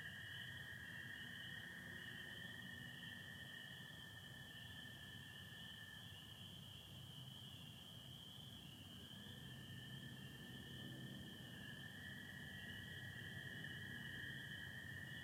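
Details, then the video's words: Michigan spring peepers on an April night with stars and light overcast: a constant shrill chorus overhead while American toads give sustained lower trills, one fading near nine seconds and another rising after twelve. "Sounds of spring peepers and american toads"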